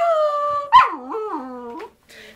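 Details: Zeus, a pet poodle, "talking" with its owner at home: a sustained, steady, harmonic moaning tone that breaks into a sharp yelp, then wavers up and down in a singsong whine before rising to a brief squeak.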